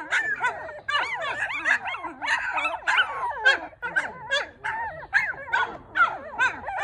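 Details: Four newborn Maltipoo puppies keep up a dense, continuous chorus of overlapping whining squeals, pitches sliding up and down with hardly a break.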